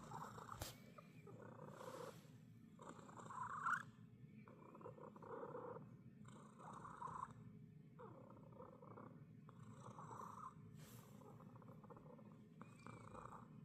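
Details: A domestic cat making a strange sound: a soft, steady purr in rhythmic pulses about once every second, each breath a raspy rattling swell over constant low background hum.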